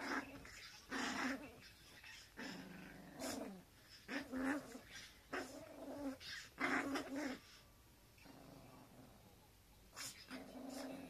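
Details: Indoor scuffle between two pet Teacup Poodles, the female taking all of the male's things. Repeated low, rasping growls and grumbles come in uneven bursts of about half a second each, with short quiet gaps between them.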